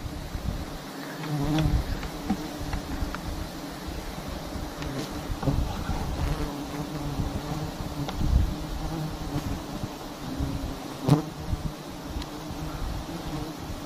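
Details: Dense low hum of honeybees around a huge, long comb nest hanging in a tree in a palm garden, steady and droning with scattered ticks and light handling noise.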